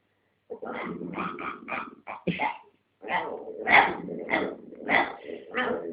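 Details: Domestic dog guarding a dog chew from another dog in a fight; rapid series of harsh growling barks and snarls, roughly one and a half per second, irregular, with a short pause midway.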